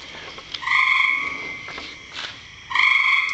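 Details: A frog in a rain barrel gives a long, steady, droning buzz that holds for nearly two seconds, breaks off, then starts again just as strongly, with a faint hiss behind it.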